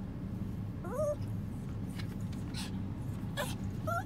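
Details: Female dog whining while being tickled with chopsticks; a few short, thin whimpers that slide up and bend over, one near the start and one at the end, with a steady low hum and brief rustling between.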